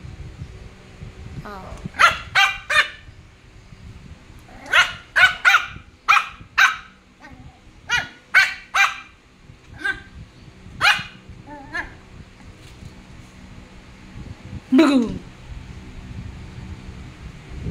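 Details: Five-month-old Poodle barking repeatedly, sharp bright yaps in clusters of two to five with short pauses, one longer growly bark near the end, and a woman's voice faintly in the background.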